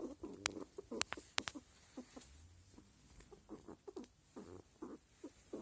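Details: Squirrel; grunting; male calling during the rutting season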